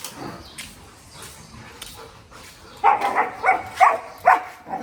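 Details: Golden retriever family dog in energetic play: after a quiet start, loud, harsh, grunting bursts with a slight tonal edge arrive in quick succession, about one every half second, during the last two seconds.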